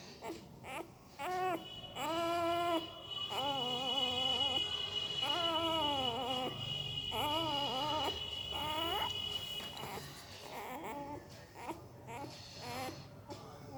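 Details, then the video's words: Sleeping puppy making weird mouth noises: repeated high whimpers, each rising then falling, coming in quick bursts for about ten seconds, with a steady faint high tone running underneath in a quiet room. "Puppy Sound while Sleeping II Puppy Making Weird Noise with Mouth II सोते समय Puppy की आवाज"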